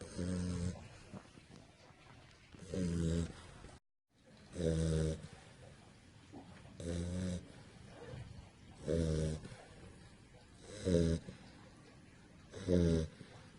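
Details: Sleeping pit bull puppy lying on its back snores steadily: low, raspy, harmonic rumbles repeating about every two seconds, with quiet breathing filling the gaps between them.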